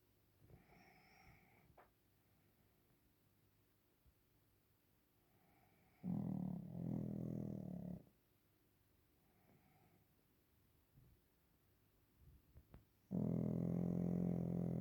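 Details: Napping Pekingese called Waffle snoring in a quiet room: long stretches of soft breathing, then two deep, buzzing snores about seven seconds apart, each lasting roughly two seconds.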